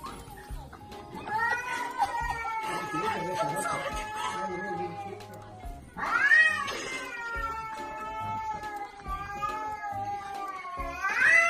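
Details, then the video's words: A cat gives long, drawn-out wavering meows, each held for several seconds, with a sharper rising cry in the middle, over background music. "Happy Cats Meowing - Meowing Cat Videos - Cats Meow Kittens Meowing Meowing - Baby Cat"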